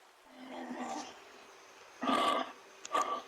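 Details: Kangaroo giving a soft, breathy, drawn-out rasp. Two short, harsh, husky bursts follow about a second apart, the second briefer. A faint background hiss runs throughout.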